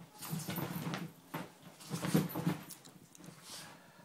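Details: Morning ball game with Dummy, a female Miniature Schnauzer, in a small room; deep throaty rumbles recur through the short stretch, loudest near the middle, broken by quick scuffs and taps.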